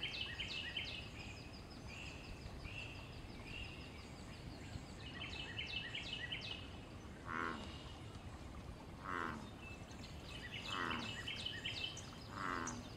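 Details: Wild American bullfrog in pond water, calling during mating and territorial fighting. The second half brings four deep, booming croaks at intervals of about one and a half seconds. Earlier, busy bird chirps and trills dominate against steady outdoor noise.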